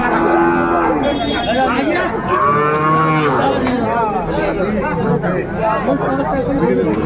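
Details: Sahiwal bull calves at a busy cattle market on 24 February 2025 while buyers bargain. Loud, harmonic moos rise and fall over several seconds, overlapping with men talking and crowd noise.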